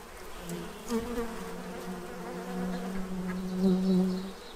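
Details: Bees feeding at a tray to prepare for winter in Central Illinois, giving a steady low droning buzz that swells and fades over several seconds, louder toward the end.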